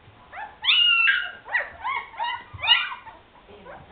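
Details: High, drawn-out whines and short squeaky yips from Afghan Hound puppies at the Szitár al Fidda kennel, a long wavering cry opening a quick run of yelps.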